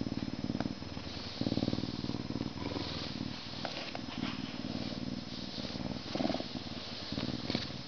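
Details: Male Canada lynx, zoo-born in May 2011, a humanized but not domesticated educational animal ambassador, purring steadily and deeply while being scratched before his meal; continuous low rumbling pulses with small shifts in loudness, close and indoors-sounding.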